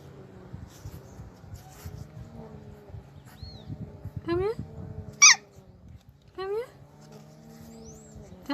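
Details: A pit bull puppy named Tyson gives a few short, rising yips and whiny barks, as if talking back, between bursts of human speech.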